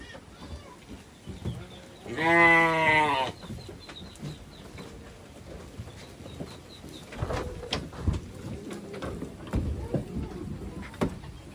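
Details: Goats, a kid with mother and father, one loud, strongly harmonic, quavering bleat lasting about a second, followed by rustling, thumps and clatter of the animals moving about.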